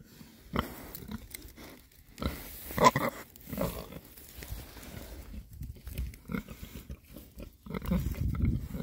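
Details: Six rare-breed Oxford Sandy and Black boar pigs grunt low and soft in short, scattered bursts while happily foraging outdoors in winter, between storms.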